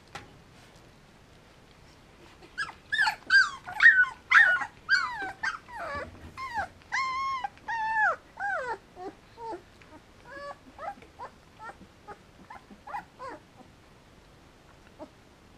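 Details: Three-week-old Samoyed puppies with their mother Enola at a kennel in Germany, giving a rapid series of high, wavering whimpers and yelps, some rising then falling, about two per second, loudest early and tapering to shorter squeaks.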